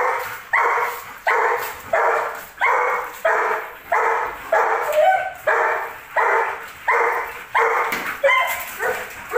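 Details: Aggressive barking from a Belgian Malinois: a regular run of sharp, loud barks about every three-quarters of a second, each with a harsh noisy burst, continuing without pause.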